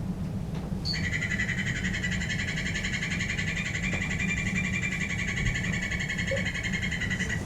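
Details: A golden poison frog (Phyllobates terribilis) gives a long, loud, high trill of rapid pulses, steady for several seconds, a call some liken to a dolphin.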